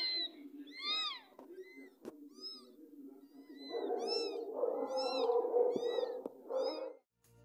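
Kittens mew over and over, thin and high-pitched with a pleading tone, each call rising and falling in a quick arch. A low musical hum and rustling noise sit underneath the busy chorus of mews.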